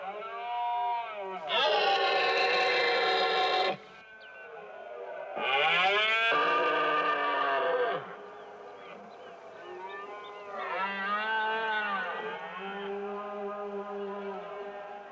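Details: Red deer stag in the Iberian mountains after summer giving the berrea, its rutting call and challenge: long hoarse harmonic roars of about two seconds each, two loud ones then fainter, wavering bellows trailing off.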